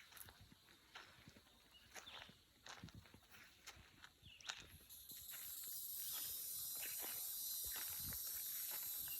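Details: On a country road by the woods while walking a dog, a thin, high insect whine swells into a loud, steady buzzing drone over crunching footsteps.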